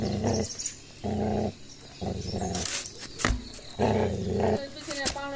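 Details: Puppy aggression in an attack on a Gaddi dog: low, rumbling growls in half-second to one-second bursts, with a person speaking briefly in the middle and a few sharp higher yelps near the end.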